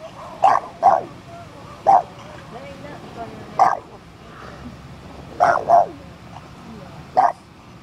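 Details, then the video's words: A puppy shut inside a car, guarding the steering wheel, giving sharp high yappy barks, singly and in quick pairs, spaced one to two seconds apart, over a low background hum. "Puppy stuck in a car. Guarding the wheel"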